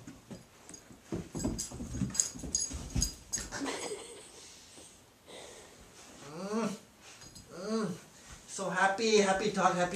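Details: Pet dog indoors playing with its favourite toy, giving a run of high, wavering whines and whimpers in the second half, with chevron-shaped rising and falling cries; a person talks excitedly over the start.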